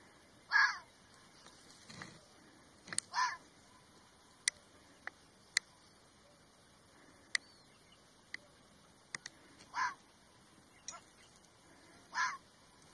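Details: Red fox giving short, harsh, hoarse barks spaced irregularly a few seconds apart, with sharp ticking clicks scattered between the calls and a quiet background.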